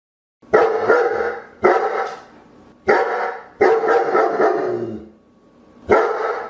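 A German Shepherd gives deep, loud barks, each one a single burst about every second or so.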